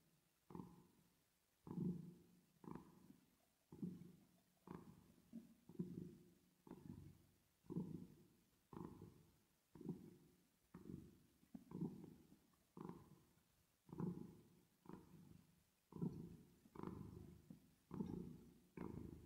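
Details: Cat purring while resting or sleeping, with an added reverb effect: deep, rumbling low purr swelling and fading in breath cycles about every two seconds, each cycle a burst of coarse vibration, steady throughout.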